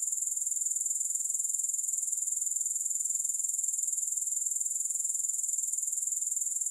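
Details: Grasshoppers in a steady, high-pitched shimmering chorus of fast, even pulses, about two to three per second, with no music or other sounds.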